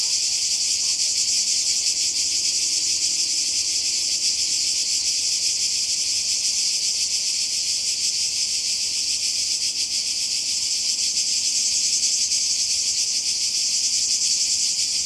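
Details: On holiday by the sea in Croatia in summer 2020, cicadas keep up a relentless high, hissing buzz with rapid pulsation, unchanging for the whole stretch.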